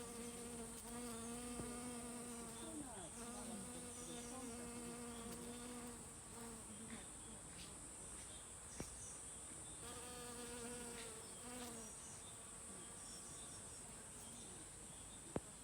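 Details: Worker honey bees busily gathering nectar among mountain hydrangea blossoms. Their low, droning hum has bright overtones and swells and fades as bees fly past in several passes. A steady high, hissing insect whine runs underneath, with a few faint clicks.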